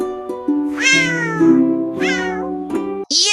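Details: Cat giving two drawn-out, rising-falling meows about a second apart over steady background music, ending with a sharp higher meow.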